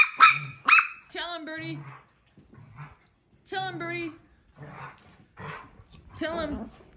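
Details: Playful dog with a pair of sharp barks up front, followed by short whiny yaps and nasal bursts in an uneven run, quiet gaps between.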